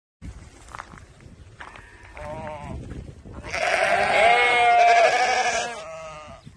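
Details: Dorper sheep on a farm; faint short calls early, then a long, loud, wavering bleat of about two seconds with a rich harmonic tone, trailing off to a quieter call at the end.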